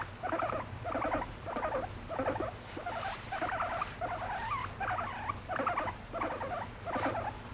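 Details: Pet guinea pig, affectionate with its owner and expressing its emotions, making soft rhythmic bursts of low chattering rumbles, about ten pulsing groups in under eight seconds, fairly quiet and close.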